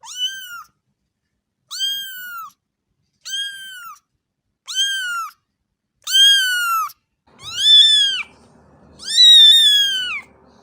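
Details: Cat meowing repeatedly: seven bowed meows roughly every one and a half seconds, growing louder and longer, the last two rising in pitch and more insistent, with faint low noise behind them.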